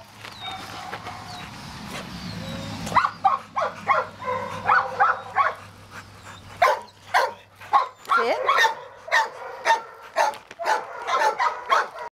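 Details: Boxer, a female dog available for adoption, at a shelter; a string of short sharp barks and yelps repeated about once a second, following a woman's spoken commands and praise.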